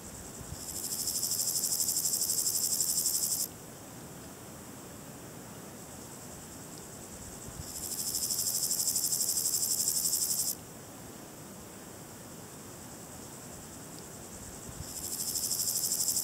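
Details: A Variable Chorthippus grasshopper (Chorthippus maritimus) gives dry, hissing buzzes about three seconds long, with pauses of several seconds between them. The species is easily recognised by this sound.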